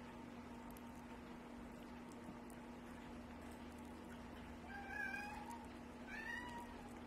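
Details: Adopted male pet cat whining by the door to be let out once play ended; two whiny meows, the second higher and rising, near the end after quiet room hum, with faint speech nearby.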